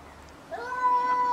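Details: Cat fight moment: a short yowl begins with an upward slide, then settles into a steady held tone over faint background hiss.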